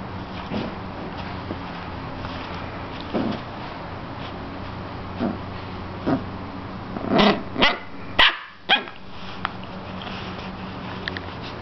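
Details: Puppy aged seven weeks and five days attacking a slipper: soft scattered huffs early on, then a tight cluster of sharp, short yapping barks and a growly burst near the end, over a steady low indoor hum.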